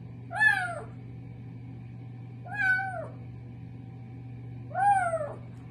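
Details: Three clear, arched meows from a kitten in the bathroom, each rising then sliding down, spaced about two seconds apart, with a low steady hum in the room.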